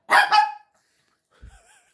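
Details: Shih Tzu giving a quick double bark, two loud rough yaps close together at the start, followed by quiet with faint soft thumps and a thin whistle-like sound.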